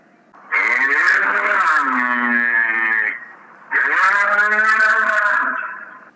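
A bull gives two long, deep, nasal moos, each about two to two and a half seconds, with a brief pause between them.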